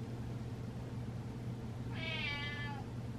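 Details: House cat meows while its owner dances; a single drawn-out harmonic meow of under a second, slightly descending, against a constant low electrical hum in a quiet room.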